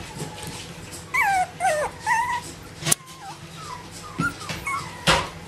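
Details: Bichon Frisé puppies from the O and P litters at a small kennel in Vejle give high, thin whimpering whines. The short sliding squeals rise and fall in quick bursts over a low room hum, with a sharp click or two.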